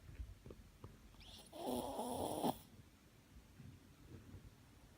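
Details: A Shih Tzu snores once, a single raspy, buzzing intake of breath lasting about a second, set between soft, faint breathing and room quiet.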